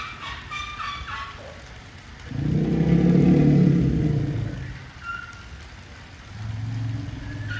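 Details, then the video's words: Zoo Asian elephant roaring like a revving motorbike: a sustained low harmonic drone swelling for about two and a half seconds, then a second, softer low rumble, with short chirping bird calls at the start. "バイク音みたいに唸るゾウ【Elephant roars.】"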